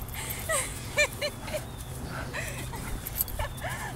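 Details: Belgian Malinois in bite-suit training at the ik9s training facility, biting a girl wearing a bite suit; high, arching whines and yelps come in short bursts over steady low background hum, with faint voices.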